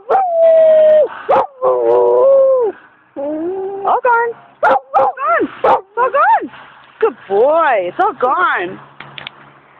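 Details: Mixed German Shepherd and Golden Retriever howling in response to sirens, Friday night, 18 December 2009: long wavering howl notes, then rapid rising-falling yelping howls that climb in pitch, with a person speaking briefly.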